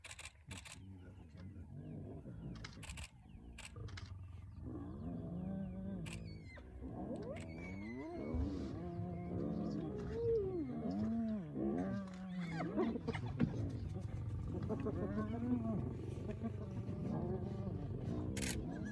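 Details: At Elephant Plains in the northern Sabi Sands, South Africa, a hyena clan mobs the young male lion called Nkuhuma at dawn; a dense chorus of wavering, groaning and giggling calls builds steadily, with sharp camera-like clicks throughout.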